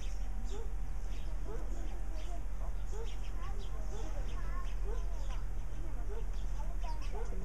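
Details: Suricata suricatta meerkats calling with soft, short peeping chirps, some upward-inflected, scattered irregularly throughout against a persistent low droning hum.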